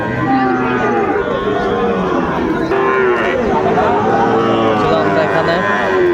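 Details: Sahiwal bull calves at a cattle market in Chattogram, Bangladesh, on 26 September 2024: drawn-out, low harmonic moos over steady crowd chatter and people talking nearby.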